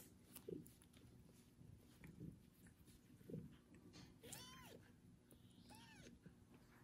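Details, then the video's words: Wet kitten just out of his first bath, tended by a foster mother cat that licks him: two short, high, arched meows a second and a half apart, with soft low thumps and rustling earlier. "Foster mom cat takes care of loud meowing kitten after his first bath"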